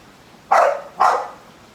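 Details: An American Bully kept as a pet gives two short, loud, harsh barks about half a second apart, each fading quickly, with a quiet background and no other clear sounds.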